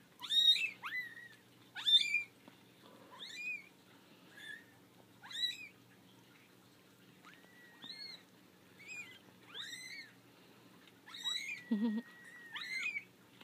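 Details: Litter of five four-week-old kittens, three girls and two boys, newly out of the basket and not liking it; a string of repeated thin meows, rising then level, about every second, with a woman's voice briefly in the background.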